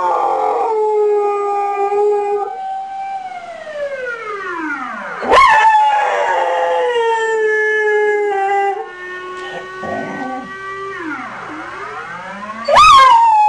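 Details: Dog howling along to a siren alarm in imitation, the steady drawn-out howl holding one pitch before bending, mixed with a siren winding down and rising again twice, plus a brief rustling noise near the end.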